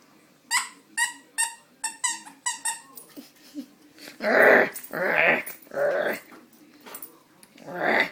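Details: Coco, a puppy playing indoors. A squeaky toy sounds in a quick series of sharp squeaks for three seconds, then come loud, rough growling bursts about every half second.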